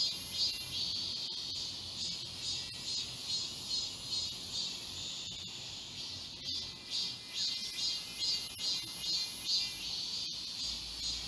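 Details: Cicadas singing together in the forest of Galsan Park, Mokdong, Yangcheon-gu, Seoul, in midsummer. High shrill buzzing comes in pulsing waves, rising and easing about twice a second, with faint clicks and a distant bird chirp.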